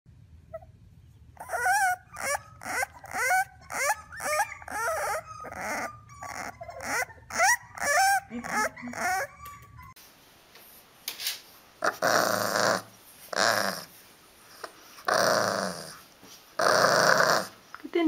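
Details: Bulldog puppies whimpering and yipping in a quick run of short, high, wavering cries for about ten seconds, followed by a series of harsher, breathy bursts with gaps between them.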